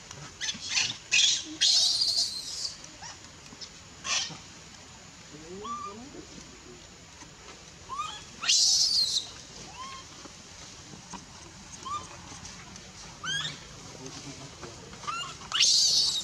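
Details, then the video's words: A young female monkey at Bayon is pushed away by her mother and refused milk. She gives rising, wavering whimpers with clear overtones, broken by three shrill, hissing screams near the start, middle and end. "Super sad baby monkey is crying when her mom is try pushing her out for reject milk"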